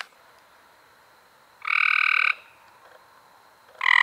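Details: Cope's gray treefrog in May 2016 giving a buzzy trill under a second long, another beginning at the end, with faint distant frog calls in between.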